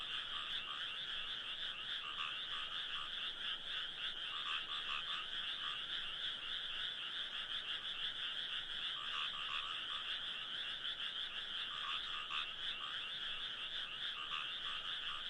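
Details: Many frogs calling together in a dense, unbroken chorus of fast, rattling trills that overlap continuously and swell slightly at times. No other sounds stand out.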